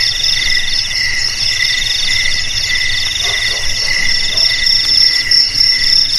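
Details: Crickets calling at several pitches at once, a dense steady high trill with beaded pulsing, plus a few faint lower croaking notes midway; played as a rat-repelling sound for homes and rice fields.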